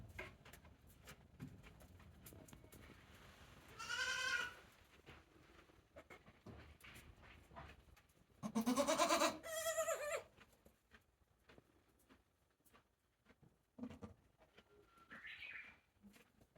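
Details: One-day-old goat kids at Yoshigake goat farm, a handmade goat farm, 17 April 2024: two loud, wavering, harmonic-rich bleats, one near four seconds and a longer one near nine, then a short thin cry late on over quiet barn rustling.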